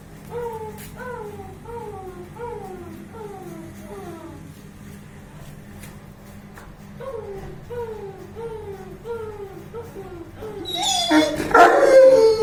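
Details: Playful 21-month-old Saint Bernard named Bruno gives a quick run of short falling whimpers, about two per second, pausing briefly before resuming, then ending in a loud, harsh bark-like outburst.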